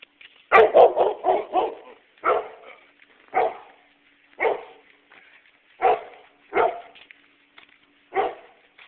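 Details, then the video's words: Dog barking on an evening walk in Nesher, Israel: a quick run of five sharp barks, then single loud barks roughly every second, about ten in all, with a faint low hum between them. "evening walk, dog barking"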